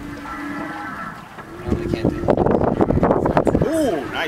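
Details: Humpback whale song recorded on a whale-watching trip: a sustained low moaning tone with harmonics, then a louder stretch of rough pulsed sound ending in quick arching up-and-down sweeps.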